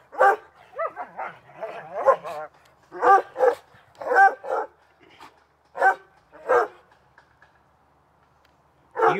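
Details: Two dogs playing in a backyard on a summer afternoon, giving loud, harmonic barks in short bursts, some doubled, spaced about a second apart with brief pauses, plus a final bark after a quiet gap.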